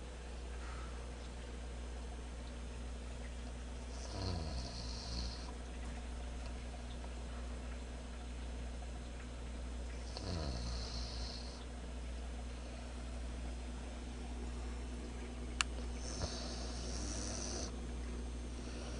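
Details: Einswine the pig asleep and snoring: a low, rattling snore about every six seconds, each one joined by a soft hissing breath, over a steady low background hum.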